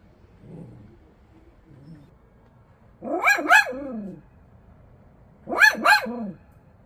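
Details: A Bichon Frise dog 'on duty' barks in two quick double bursts, sharp and harsh, about two and a half seconds apart, with faint low grumbling before them in an otherwise quiet room.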